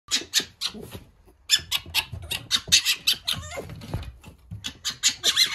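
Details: Young fox on its first day in a cage with a wild fox, giving harsh, raspy bursts in quick irregular series, a short pause near the middle, then more clustered scratchy cries continuing to the end.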